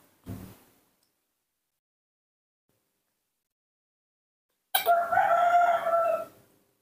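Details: A newborn baby monkey calling for milk while being hand-reared, giving one long tonal scream of about one and a half seconds with a steady pitch, after a brief soft sound and a long silence.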